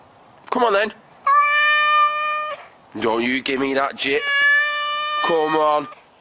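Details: Housecat producing two sustained, even-pitched meows, each over a second long, alternating with human chatter in a small room.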